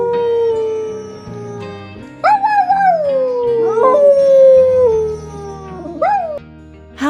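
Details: Dog; howl; contacting absent owners or lost pack members; contagious among dogs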